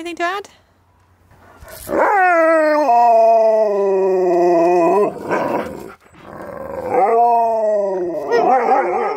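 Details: During a best-friend reunion, a Siberian Husky named Keyush hears his favourite words and responds with sustained, wavering howl-talk: a long rising-then-level call, a brief noisy break, then another falling howl ending in garbled yowls.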